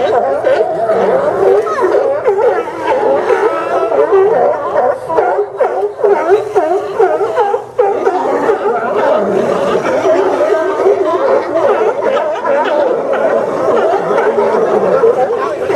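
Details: Crowded sea lion haul-out at the Port of Newport Town Dock, Yaquina Bay, Oregon, recorded September 20, 2015: a steady roar of many hoarse overlapping barks, dipping briefly near the middle.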